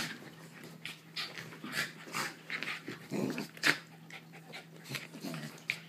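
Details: Two Cairn Terriers, Niko and Pongo, wrestling together in play on July 3rd, 2012; rough, throaty growls and snarling huffs come in uneven bursts, mixed with breathy panting and scuffling noises.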